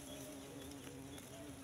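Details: Wild Asian honey bee colony nesting in ground cavities among bushes: a continuous droning buzz with a steady low hum, sustained without breaks.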